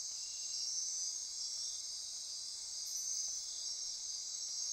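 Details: Rainforest insects at midnight near Corcovado National Park in Costa Rica, a thick high-pitched buzzing wash that pulses gently in loudness, with a thin steady tone underneath.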